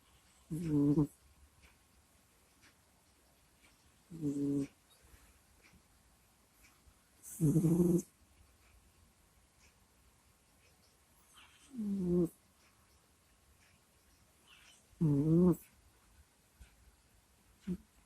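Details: Sleeping domestic cat recorded close to a microphone indoors: short low groaning, moaning breaths in separate bursts about every three to four seconds, with quiet pauses between them.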